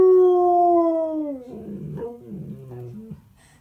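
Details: Singing husky-malamute cross, a male three and a half years old: one long steady howl that slides down at its end, breaking into short grumbling, whining vocal sounds.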